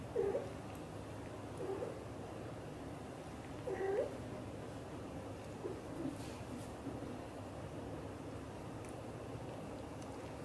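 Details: British shorthair mother cat, blue golden, talking to her kittens indoors; three short, soft chirping meows near the start, around two seconds and around four seconds, then quiet, over a steady low background hum.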